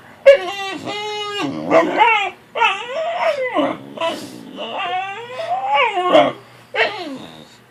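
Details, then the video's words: Fussy puppy woken early from a nap, giving loud harmonic whines and yelps that rise and fall, about six drawn-out complaints in quick succession with short breaks. "Fussy puppy gets woke up"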